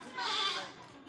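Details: Goat, one of a red and black pair offered for sale, giving a single short nasal bleat lasting about half a second.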